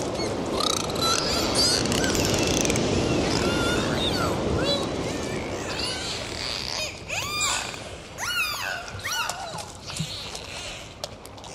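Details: Swimming dolphins underwater produce arching, rising-then-falling whistles and rapid click trains, several callers overlapping, over a loud rushing water background.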